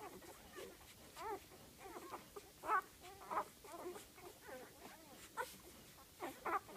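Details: Litter of eight golden retriever puppies aged five days giving faint, wavering squeaks and whimpers, overlapping and irregular, softer than nearby sounds, with a steady background hiss.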